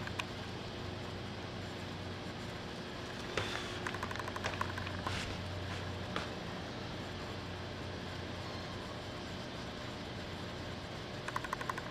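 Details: Steady low hum and distant traffic-like rumble fill the room, broken by scattered clicks and a few brief knocks, with no animal voice heard.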